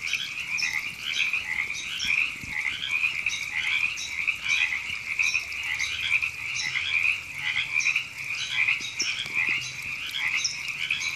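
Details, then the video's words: River frogs chorusing at Temescal Canyon Park in Los Angeles, California, in April 2017: overlapping croaks swell and dip roughly once a second in an unbroken rasping wall of sound, with brief high chirps recurring. "Frogs Ribbits"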